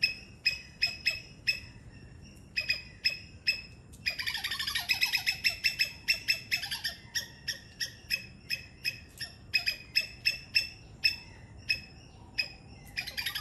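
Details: A Sri Lankan three-striped palm squirrel calls with sharp, high chips repeated rapidly, several each second.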